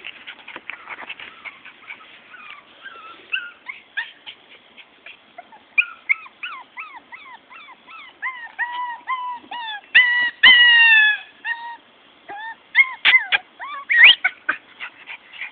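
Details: Morkie puppies, a Maltese and Yorkie cross, whining steadily in rapid overlapping notes. Many are clear tonal whines that rise then fall, with some longer drawn-out cries and short yips, several pups calling at once.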